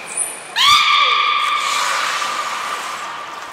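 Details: Belugas Nico and Mirai during a training session at the Port of Nagoya Public Aquarium, 29 February 2020: a brief high whistle, then a loud sustained buzzy tone with stacked harmonics that holds steady and slowly fades over three seconds.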